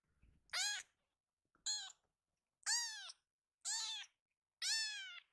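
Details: Rescued baby kittens in a room, eagerly running to their caretaker; five loud, high-pitched falling mews, roughly one per second, clear against a quiet background.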